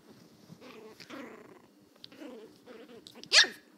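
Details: Pissed-off Chihuahua puppy, still learning to bark, grumbles in low rolling growls for about three seconds, then lets out one sharp, high-pitched bark near the end. Indoors, quiet background.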